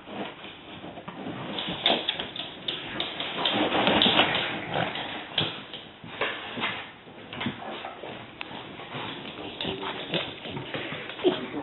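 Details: Pair of French Bulldog sisters in a squabble, one picking on the other: uneven bouts of rasping growls, snuffles and high whimpering whines, rising and falling in loudness, with soft tapping sounds.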